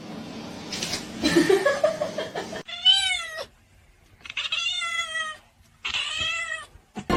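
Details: Kitten giving three distinct meows, each a tonal, slightly arched cry of about a second, spaced roughly 1.5 seconds apart, preceded by rustling and a brief human voice.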